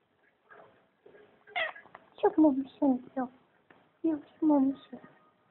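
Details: Ducati, a male pet cat, answers his owner indoors with a run of short, falling, harmonic meows, four or five in quick succession, between and over a woman's soft Afrikaans speech.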